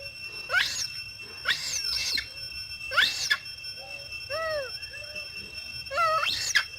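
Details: A mother monkey calling loudly, a call made when she may have seen something and wants to alert other monkeys: sharp rising shrieks in quick pairs, then softer arched whistled notes, then another rising shriek, with a steady electrical whine behind.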